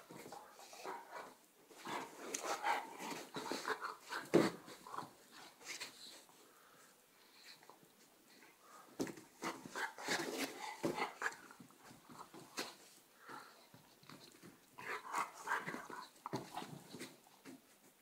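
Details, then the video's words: Indoors, a border collie tussles with a Czechoslovakian wolfdog in an attack; throaty growls and snarls come in clustered bursts with breathy panting and short whining tones between scuffles. "border collie attack"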